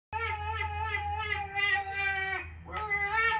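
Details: Female Irish Wolfhound indoors, howling back at recorded howls of other wolfhounds: a sustained, slightly wavering harmonic tone that breaks off briefly and resumes, over a low steady hum.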